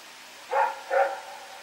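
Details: Night recording from September 21, 2018 of Rex the dog on the move: a quick pair of rough barks less than half a second apart, then quiet hiss.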